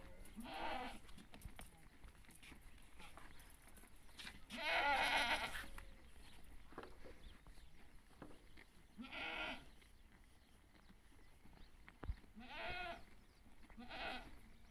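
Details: Goat during birth, other animals coming near; scattered quavering bleats, one loud and long near the middle, then shorter ones spaced several seconds apart, over a quiet room background with occasional clicks.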